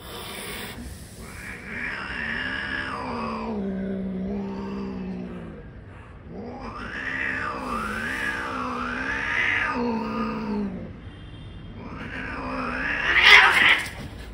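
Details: Angry cat giving long, wavering growls that rise and fall in pitch in drawn-out yowling waves, with short pauses between bouts, ending in a sharp, harsh hiss burst.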